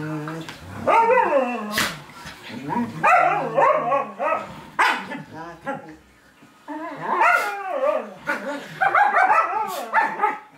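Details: Veni, a Czechoslovakian wolfdog, pesters Laki the Samoyed with loud, harmonic yowls that sweep downward, grouped into three long bursts separated by short pauses.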